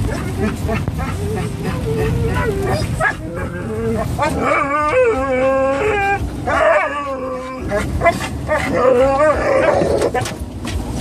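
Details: Three excited pet dogs, a Norwegian Elkhound mix, a Labrador mix and a Rat Terrier, riding in an SUV toward PetSmart, whining and yipping together with wavering high-pitched cries, barks mixed in, over road rumble and some human voices.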